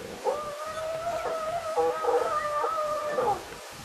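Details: Lions from the Styx pride, two females with eight cubs, filmed on safari on July 9, 2016: a high, tonal, whining call wavers and steps between pitches for about three seconds, rich in overtones, with a quiet background.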